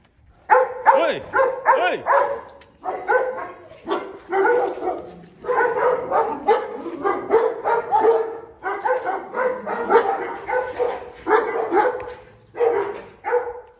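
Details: Presa Canario named Xiuluo, chained for safety while eating a plate of chicken carcasses and guarding its food from others: a rapid run of harsh, mid-pitched barks in bursts, with brief pauses between volleys, fairly steady throughout.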